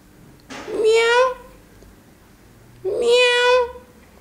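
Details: Mixed-breed Persian cat kept indoors alongside two African grey parrots, giving two clear, drawn-out meows about two seconds apart. Each meow is tonal and rich, swelling and then fading. The room is otherwise quiet.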